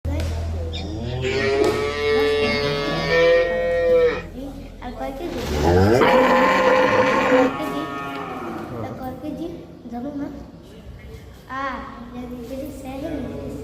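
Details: Cow kept for Eid lowing in long, drawn-out moos rich in harmonics, one running from the start for about four seconds and a louder one near the six-second mark, followed by shorter, fainter calls amid background noise.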